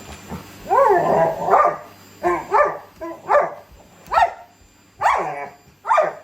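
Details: Labrador Retriever fighting a vacuum cleaner because it wants to be sucked up; a run of about seven loud harmonic barks, some doubled, spaced roughly a second apart over a steady low machine hum.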